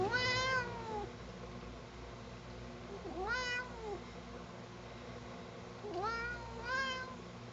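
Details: Complaining at the comb, Sugar the cat meows four times: a long falling cry, a short arched one, then two quick rising meows close together, each rich in overtones over a quiet indoor hum.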